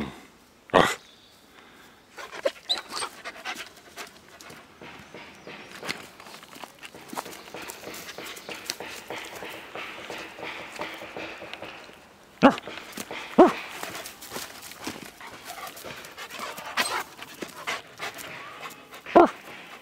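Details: Eight-month-old male Great Pyrenees, about 90 lbs, at a mission trip work site, panting steadily with soft breathy rasps under a low noisy background, broken by a few sharp knocks and clicks.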